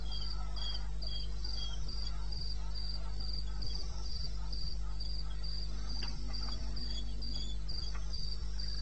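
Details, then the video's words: Wild cricket chirping in eastern Botswana, Africa, at 02:30 AM on 21 May 16, with a fast, even stream of thin, high trills and a second fainter chirping voice beneath, set against a steady low-frequency hum. "1 Hour cricket sound"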